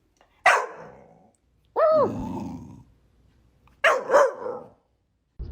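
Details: Rescued female dog at a shelter, sitting in the lap of a woman on their first meeting, making 'talking' attempts to communicate: three short bursts, each a rising-then-falling whine-like yowl, about a second apart, with quiet gaps between.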